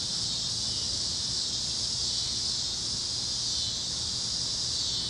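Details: Cicadas chirping at sunset over Kansas fields on a warm Great Plains evening: a steady, unbroken high-pitched hiss-like chorus holding constant throughout, with faint low rumble beneath.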